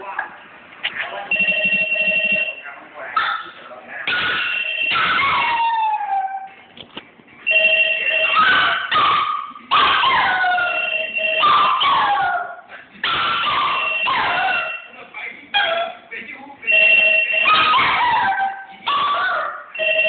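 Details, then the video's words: Poodle howling 'ah woo' in response to a ringing bell: wavering, sliding howls rise and fall between steady, ringing tones, with the two alternating and overlapping several times. "The Ring & ah woo- Curly The Poodle"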